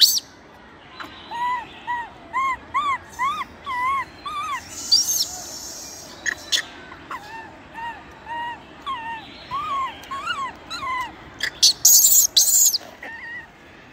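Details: Baby macaque in the wild, crying loudly after rough treatment from its mother: steady strings of arched, tonal wails, each rising then falling, about two per second, broken by harsh screams near the end over a hissing background.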